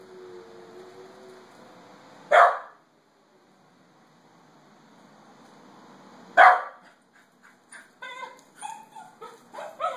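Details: A Pembroke Welsh Corgi gives two sharp, loud barks in reaction to a recording of wolves howling being played; it kept barking and howling for minutes afterward.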